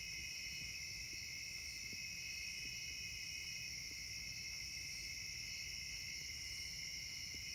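A summer insect chorus: a steady, shrill, unbroken drone of several high, ringing tones.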